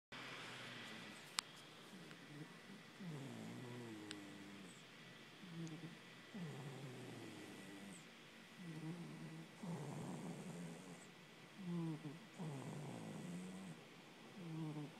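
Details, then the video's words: A sleeping pet cat snoring, soft rasping breaths repeating every few seconds with low buzzy tones, a couple of faint clicks in the background. "my cat snores"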